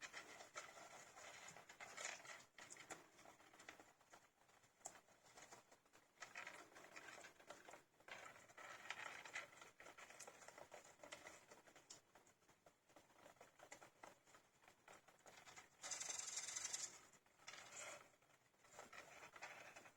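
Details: Many young hamsters, fifteen days old with eyes newly open, huddle indoors; steady scratchy rustling and patter fills the clip, broken near the end by a sustained high-pitched chattering squeal lasting about a second.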